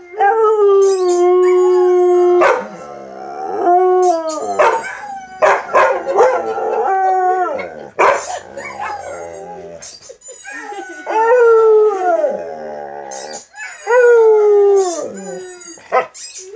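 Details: Luna, a pet chocolate Labrador Retriever, howling in raw footage: long sustained tones that bend up and down in pitch, several drawn-out howls broken by short sharp yips and sniff-like bursts.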